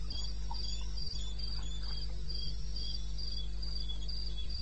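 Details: Night chorus of a cricket in the wilderness of eastern Botswana, recorded 21 May '16 at 2:30 AM; bright high chirps repeat rapidly and evenly, roughly four each second, over a steady low rumbling hum with occasional soft knocks.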